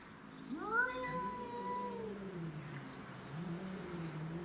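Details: Domestic shorthair cats fighting over territory: a rising, wavering yowl slides up and holds for about a second and a half, then drops into a long, low, droning growl-howl that continues to the end.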